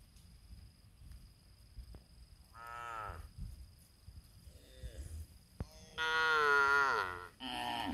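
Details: Cows nursing their young in a palm oil plantation: a short harmonic moo near the third second, then a louder, longer drawn-out moo that bends downward, with a quieter low call between and faint background hum.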